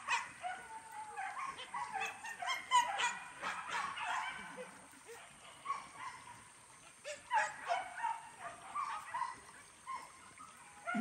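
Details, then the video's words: Max, a hunting dog in his first training at the PORBI event in Legaran Sungai Pingai; dense, overlapping barks and yelps from several dogs come in rapid, irregular bursts, louder around three and seven seconds, with steady high hiss behind. "DIDIKAN PERDANA MAX (PORBI LEGARAN SUNGAI PINGAI)"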